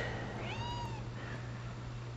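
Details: Seven-month-old rescue Penny, nearly pure Bombay, mothers her squeaky monkey and squeaky mouse toys, giving one clear, tonal meow that arches up and then falls over half a second above a constant low electrical hum.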